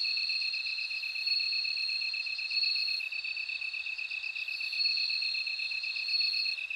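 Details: Bell cricket song: a steady high ringing trill held for seconds, over a second continuous pulsed insect tone just below it. No other sounds.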